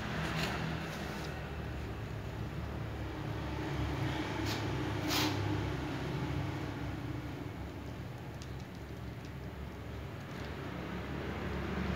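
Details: Low rumbling hum like a vehicle or fan runs throughout, with a few soft knocks and no animal sound heard.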